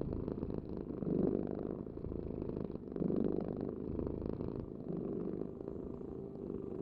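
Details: Rumbling cat purr in two strong breath-paced swells about two seconds apart, then fading to a softer, lower hum toward the end.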